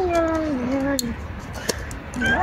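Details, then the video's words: Domestic cat making drawn-out, wavering meows while eating, described as singing; a long falling-then-rising tone lasting about a second, then a shorter rising call near the end, with faint clicks and background noise. "القط بيغنى وهو بياكل بطريقه رهيبة"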